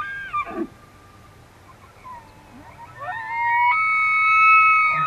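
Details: Elk during rut season in Benezette township, Elk County, Pennsylvania: a brief falling whistle, a pause, then a rising whistled bugle that jumps upward and holds a high, pure, harmonic-rich tone for nearly two seconds.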